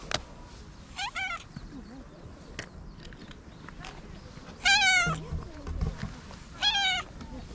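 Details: Domestic cat meowing three times: a short wavering meow near the start, then two loud, strained, quavering meows late in the clip. Soft human voices murmur underneath.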